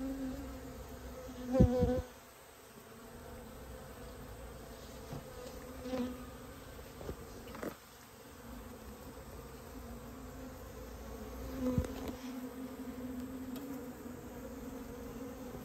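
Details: Japanese honey bee colony that built its nest inside a storehouse, being removed; a low, steady droning hum with a few sharp clicks and knocks scattered through.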